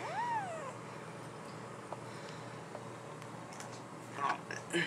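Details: Household cats, a black-and-white mother being mean to her black kitten newly back home; one rising-then-falling meow at the start, then quiet room noise with faint clatter near the end.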